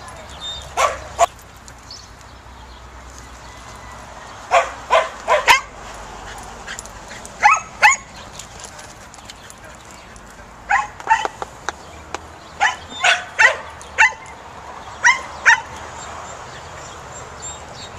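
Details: Samoyed dog, a breed of Siberian reindeer herders, during a herding instinct test: sharp barks and yips in short bursts of two or three, separated by pauses of a second or two, with a faint background hum.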